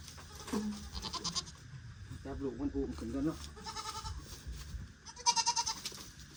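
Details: Among four more goats purchased for a herd, two tremulous bleats sound in the second half, with a man talking through much of the recording.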